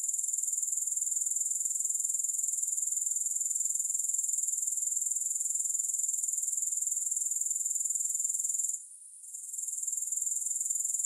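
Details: Unbroken high, thin insect buzzing from grasshoppers with a fast even pulse; the chorus briefly softens for about a second before resuming at full strength.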